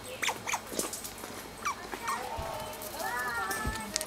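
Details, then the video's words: {'caption': 'Asian small-clawed otters squealing with excitement while playing together with rocks and objects on a peaceful afternoon; short high chirps and squeaks, then a longer wavering whine with bright overtones.'} "Felices nutrias chillan de emoción mientras juegan"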